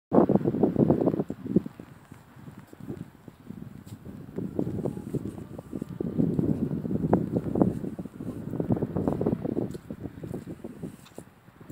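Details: Pigs kept as a mixed group of two pot-bellied pigs and two Mangalicas, giving rapid low grunts in irregular bursts, with scuffing footsteps and wind rumble underneath.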